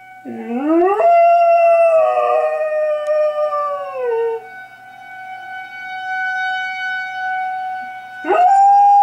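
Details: Rookie the dog howling at an air raid siren: a rising, wavering howl lasting about four seconds fades out, leaving the siren's steady drone, and a fresh upward-swooping howl begins near the end.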